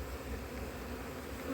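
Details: Honey bees humming inside an opened hive during an inspection of splits after failed first queen matings, in cold weather in 2024; a steady, low droning hum with no breaks.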